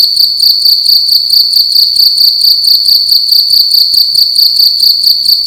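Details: A cricket in a room at night gives a loud, high, ringing chirp that pulses just over twice per second throughout, steady and insistent, against a quiet background.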